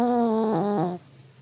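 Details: Elderly Pomeranian asleep, snoring: one drawn-out nasal, whistle-like tone of about a second that steps down in pitch midway, then quiet room.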